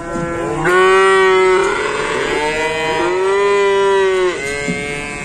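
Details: Among many cows newly arrived at an Indonesian cattle pen, three long, sustained moos follow one another closely, each held steady for about a second and ending with a slight downward bend.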